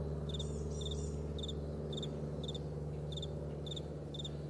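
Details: Morning meadow crickets chirping steadily, each chirp a brief high pulse pair, repeating roughly every half second over a soft low background rumble.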